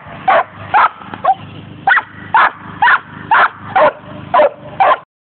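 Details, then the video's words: Two pet dogs in a barking contest, trading short, sharp barks in a steady run of about ten barks, roughly two per second. "my 2 dogs having a bark contest"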